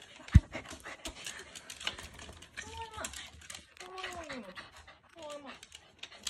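A corgi greets its owner with three drawn-out, falling, throaty whines, with some thumps and a quiet voice nearby.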